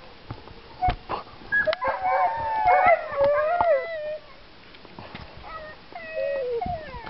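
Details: Excited howling from two harnessed dogs before a bikejoring training run, Sowinki, January 2015: sliding, wavering howls overlapping in a burst, then fading whines, with a man speaking Polish and clicks of equipment.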